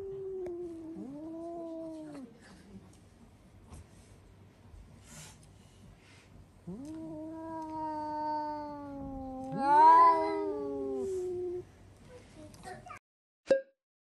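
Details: Domestic cat screaming indoors, typically after seeing a cat outside: a short arched wail, then a long, drawn-out howl lasting about five seconds that swells and strains near its end, followed by a sharp click.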